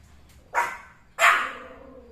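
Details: A house Pomeranian reacts to something its owner cannot see with two loud, clipped barks less than a second apart, preceded by a faint softer yip, in a quiet room.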